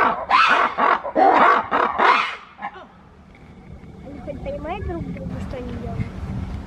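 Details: Black-and-white ruffed lemurs calling to each other at Novosibirsk Zoo on 14 September 2019: three loud harsh, braying bursts in quick succession, then quieter squeaks and background noise.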